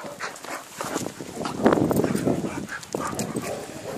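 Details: A Staffordshire Bull Terrier and a Bull Terrier puppy play-fighting: dense, rough growling and snarling bursts come fast and unevenly, swelling louder midway, with scuffling throughout.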